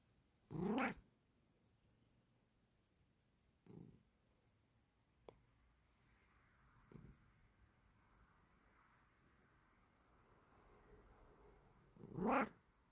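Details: Bengal cat indoors while being scratched, giving two short bending meows about eleven seconds apart, with a few soft faint sounds between them in a quiet room.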